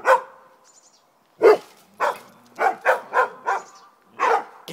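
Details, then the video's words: Rhodesian Ridgeback facing two poodles, barking back and forth: single strong barks separated by pauses, then a quick cluster of three or four, with a faint higher yelp in the background. "Rhodesian ridgeback silences two poodles!"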